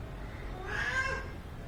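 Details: Pet cat at home, being played with and groomed, gives a single soft, drawn-out meow in the middle of the clip over a steady low background hum.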